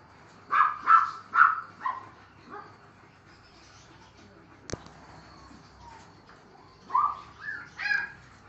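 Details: Seven-week-old male Neapolitan Mastiff puppy yelping in a rapid run of four high barks, a pause broken by a single sharp click, then three more yips near the end.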